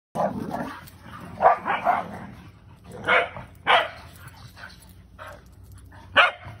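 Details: Corgi dog playing with its cousin indoors; a burst of several sharp, excited barks, then scattered single barks a second or so apart, with a steady low hum underneath.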